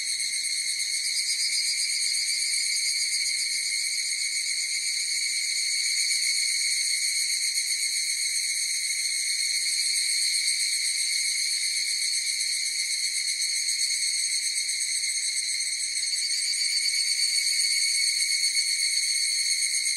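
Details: Twenty seconds of massed higurashi cicadas producing a constant high, tonal shimmer that swells slightly in places, with a quick wavering pulse and no other sounds.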